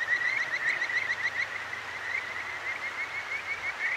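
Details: Night chorus of Kajika frogs in Tokyo's Akigawa Valley by a clear stream: a quick run of ringing, slightly rising notes in the first seconds, then softer scattered trills, all over constant rushing water.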